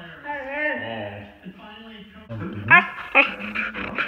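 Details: Female Siberian Husky kept as a pet, vocalizing to ask to be let outside: a wavering, drawn-out whine rising and falling in pitch for about a second, then softer broken whimpers and rougher noisy sounds toward the end.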